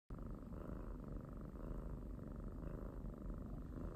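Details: Pet cat purring steadily, a close, continuous low rumble with a fine pulsing texture that holds even for four seconds with no other sounds.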